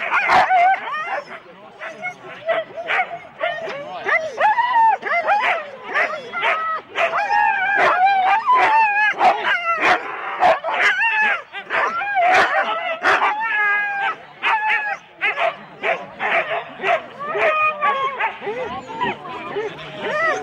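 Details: Husky sled teams, four dogs each, at the start in Rendlesham, January 2016; a busy mix of high yips, whines and barks from many dogs, with human voices mixed in among the chorus.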